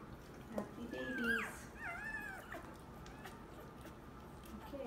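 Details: Two-day-old Labrador Retriever puppies from a litter of ten give thin, high whining squeals with sliding, wavering pitch between about one and two and a half seconds, then fainter cries, over steady low background hum.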